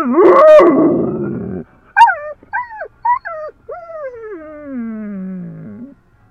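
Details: Overexcited female dog heading to the dog park opens with a loud rough growling howl, then short sharp yelps and a long whine that glides slowly downward before fading.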